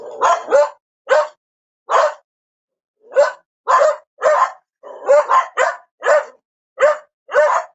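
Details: Barking dog: irregular sharp barks, some single, some in quick pairs or triples, with a pause near the middle, against silence.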